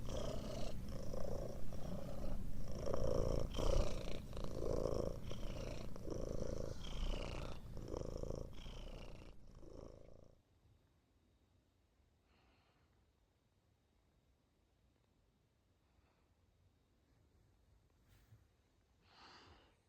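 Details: A cat asleep gives a deep, rasping, rhythmic rumble with each breath for about ten seconds, then the room falls nearly silent apart from a few faint soft noises.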